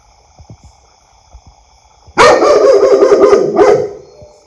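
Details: Loud barking from a pet dog: faint soft taps at first, then a sudden rapid run of harsh barks lasting over a second, then a final bark and a reverberant fade.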